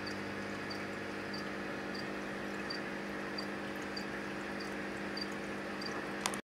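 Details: Anthony's poison arrow frog, a male calling to draw in females, gives brief high-pitched notes spaced evenly about every 0.6 seconds beneath a steady humming background, ending in abrupt silence.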